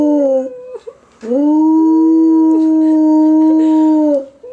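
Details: A captive gray wolf at a zoo howls in a long, steady, mid-pitched tone that swoops up at the start and sags at the end.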